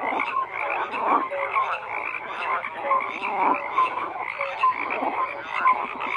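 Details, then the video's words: Frogs croaking in a dense chorus, many overlapping callers producing pulsed, rattling croaks with short tonal notes scattered through, a steady continuous wall of sound with no other clear noises. "FROGS CROAKING"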